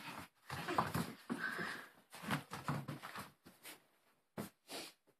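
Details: Khan, a four-month-old Brussels Griffon puppy, plays indoors with a plush dragon: breathy snuffling and whimpering bursts with a brief rising whine near the start, broken by short pauses and soft handling thumps.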